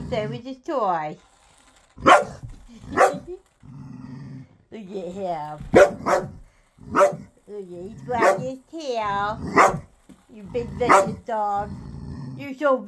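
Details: A ten-year-old dog playing with its new ball gives short, sharp barks, about nine spread irregularly over thirteen seconds, while a person talks to it in between.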